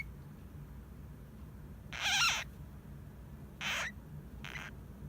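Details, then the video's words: Half-asleep pet hamster Hamuzo making odd cries, perhaps snores: one longer harsh wavering squeal, then two shorter raspy bursts, in a quiet room with faint low hum. "ハムスター 可愛い！おもしろい②寝ぼけてる？いびき？"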